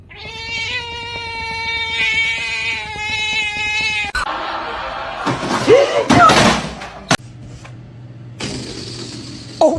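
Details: Kitten meowing: a long, steady, harmonic-rich cry held for about four seconds with faint pulses, then a burst of scuffling, rustling noise and sharp knocks.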